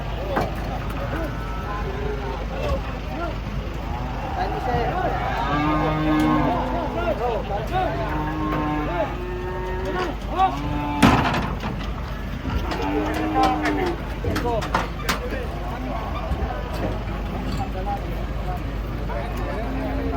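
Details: Fierce giant cattle being brought down from a truck. Low engine rumble runs under a series of deep, evenly held moos spaced a couple of seconds apart, mixed with voices and sharp bangs.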